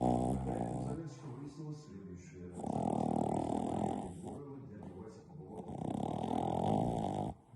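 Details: Verona, a French Bulldog puppy, sleeps after tiring herself out playing. She snores in long, loud, rasping breaths, each about one and a half seconds long, separated by quieter breathing.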